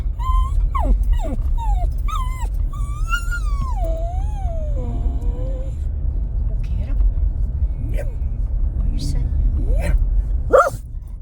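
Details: Jack Russell terrier eager to get out of a truck, whining: high, bending whimpers rising and falling, a long drawn whine sliding downward, then scattered short yips over a steady low engine rumble.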